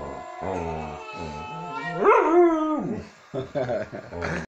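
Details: Samoyed dog howling: a long drawn-out wavering howl rising and falling in the middle, framed by shorter harmonic yowls and a few clipped barks near the end.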